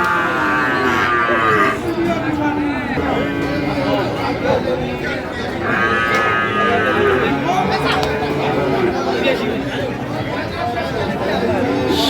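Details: Sahiwal bull calves at the Ambari livestock market, Dinajpur, during the first of Ramadan 2025; two long, strongly harmonic lowing moos stand out amid busy market voices and bargaining.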